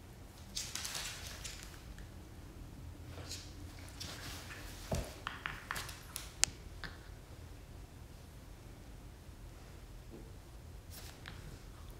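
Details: Quiet indoor room with soft rustling, pattering and scattered clicks and thumps, a few sharp taps near the middle, and no animal voice.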